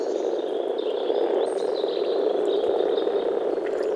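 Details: Frogs calling in a spring wetland in the Czech Republic, a steady low croaking murmur beneath high thin bird whistles and chirps.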